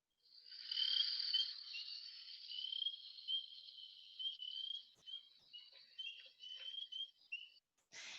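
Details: Single treefrog recorded on New Brunswick's Acadian Peninsula, a species usually heard calling loudly in groups near lakes during the early-summer breeding season; a high-pitched, sustained trill breaks into short pulsed bursts, ending with a sharp click.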